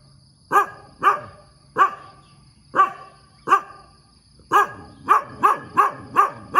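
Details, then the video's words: Morning barking from a dog: five well-spaced harsh barks, then a faster burst of six in close succession, with a faint constant high tone in the background. "เสียงหมาเห่าตอนเช้า เห่าเก่งมาก"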